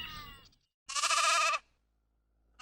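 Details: Sheep bleating once, a bright harmonic, slightly wavering cry lasting about two-thirds of a second, preceded by a brief tail of a spoken word and followed by silence, from a children's animal-sounds lesson.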